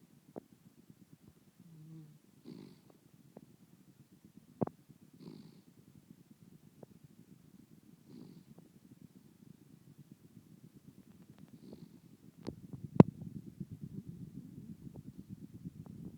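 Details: A Miniature Dachshund snoozing on a couch snores with soft, low, rumbling breaths every few seconds.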